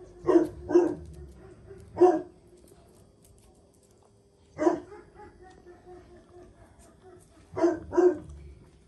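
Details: Jack Russell Terrier mother Paris lessoning her son Oscar; six short, forceful barks come in irregular pairs and singles, separated by gaps of up to three seconds.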